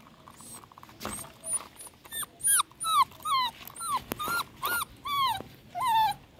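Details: Nursing miniature dachshund puppies, one scared, produce about ten rapid whimpers that rise and curl downward. The cries grow stronger midway, with a sharp click and faint higher squeaks between them.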